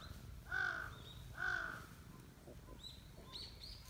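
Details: Affectionate silver tabby street cat saying hello: two clear, bright arched meows about a second apart, followed by faint chirpy sounds and outdoor background hum.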